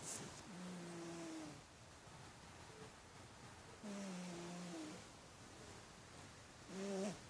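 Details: Domestic cat snoring while asleep on his back indoors: three drawn-out, throaty snores with a low humming tone, each lasting about a second, spaced a few seconds apart over a quiet room hiss.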